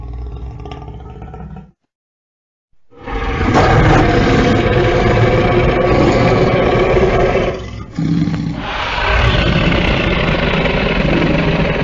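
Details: Lion producing a rumbling growl, then a second of silence, followed by a long, powerful, gravelly roar with a short dip near its end before resuming.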